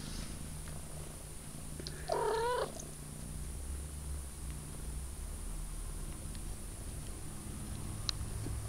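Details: Purring from a 3-week-old kitten, a low buzzing throb running the whole time, with a single brief wavering mew early in the recording and a small tick later.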